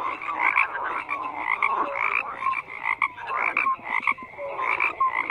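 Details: Frog chorus with layered croaks: rattling, pulsed calls and brief clear whistles overlapping, coming in bursts with short dips between them, many callers at once and nothing else prominent.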